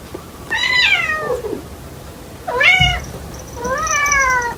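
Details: Loud, clear meows from the household cat Kotetsu. Each of the three calls slides downward in pitch, the first trailing off into a low whine. The background is quiet.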